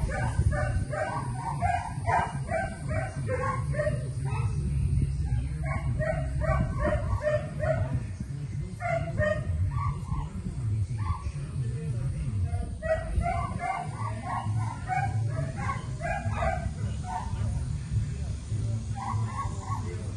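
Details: Repeated clusters of sharp barks from Rena the Rottweiler during board-and-train obedience work in Central Florida, coming in runs with short pauses, over steady low-pitched background music and some speech.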